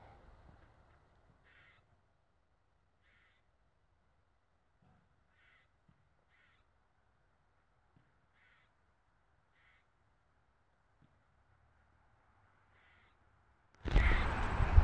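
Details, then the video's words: A squirrel gives faint, short, nasal barking calls about every second or so; the owner suspects mating season but says it could be a fight call or intimidation of another squirrel. "weird squirrel sounds"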